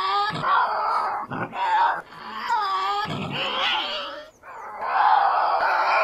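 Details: Tasmanian devil growling and screaming in continuous rough, nasal bursts with wavering harmonic whines rising and falling, short dips between phrases, nothing else audible.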